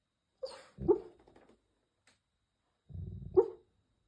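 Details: Golden Retriever fast asleep on a trip, snoring through the room: short low rasping breaths with a brief nasal squeak, a quiet gap of over a second, then another rumbling snore ending in a squeak.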